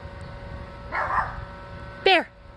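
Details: A chow-chow-like brindle puppy gives one brief, high yelp that slides sharply downward, after a murmur of background voices.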